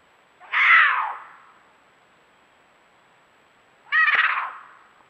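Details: Cougar in the Angeles National Forest at night, calling out to another cougar while seeking a mate: two drawn-out, wavering caterwauling screams about three seconds apart over a faint steady hiss.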